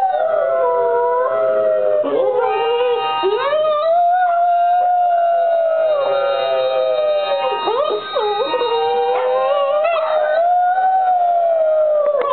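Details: A female red and white Boston Terrier, almost 2 years old, howls in long, wavering, sliding tones that rise and fall, answering the howls of other Boston Terriers in videos.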